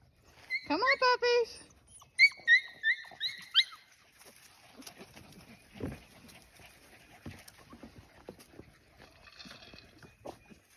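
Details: Australian Shepherd puppies out exploring a farm: a burst of high, harmonic yelps, then a run of four short whining yips about a third of a second apart, while a person calls the puppies over rustling footsteps.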